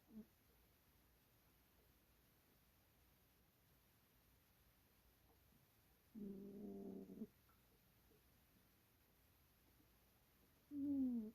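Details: Long quiet stretches between snores from a sleeping cat, with a buzzy one-second snore near the middle and a louder, slightly falling snore at the very end; the room is otherwise still.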